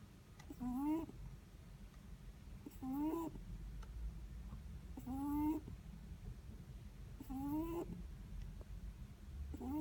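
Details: Sleeping Netherland Dwarf rabbit snoring: short squeaky, rising nasal tones with layered overtones, one roughly every two seconds in a steady breathing rhythm, over a low background hum.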